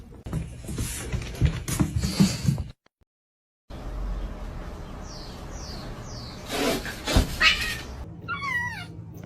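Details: Domestic cats fighting, with a loud noisy burst, a brief silence, then three quick falling whines and a wavering rising-falling yowl near the end amid background noise.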